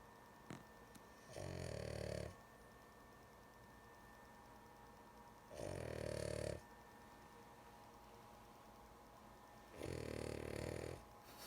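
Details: Female dog named Lulu, sleepy, snoring in three rattling, buzzy breaths roughly every four seconds, a sharp tap near the start, steady faint hum behind.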